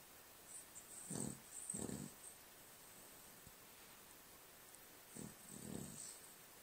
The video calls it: Our Cavalier King Charles Spaniel snoring.